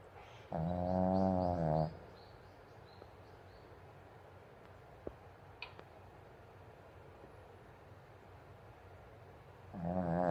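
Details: Pomeranian sleeping deeply in a banana-shaped bed, snoring like an old man; two loud, buzzy, rasping snores about nine seconds apart, the first lasting over a second, with near silence and a couple of faint clicks between.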